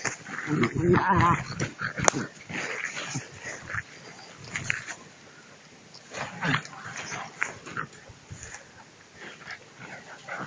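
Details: Two-month-old puppies tug at a rag in prey drive training: rough, noisy growling bursts, strongest in the first two seconds with a sharp yelp near the second mark, then scattered quieter growls and scuffling, faint human voices behind.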